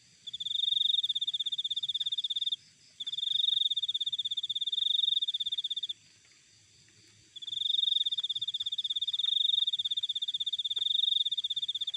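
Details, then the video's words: Cricket recorded outdoors in nature: shrill, rapidly pulsed trills in three bursts, the first two about two and three seconds long, a silent gap of over a second, then a longer burst, with faint low background hum. "Cricket Sound Effect"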